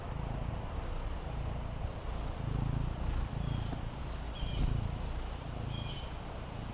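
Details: Fendi, a Maine Coon kitten resting on the patio, purrs in a quiet, even low rumble, with short high chirps heard faintly in the background.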